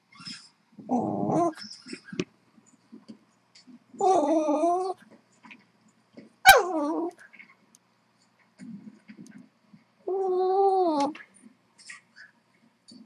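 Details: Blind female Boston Terrier, unsettled by a squeak toy played through speakers, gives three drawn-out, wavering, harmonic whining grumbles spaced several seconds apart, with one sharp click and soft snuffling sounds between them.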